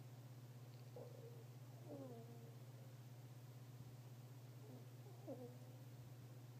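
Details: Sleeping fennec fox giving faint snores as soft, high squeaky whistles that drop in pitch, a few brief groups spread over several seconds, beneath a constant low droning hum.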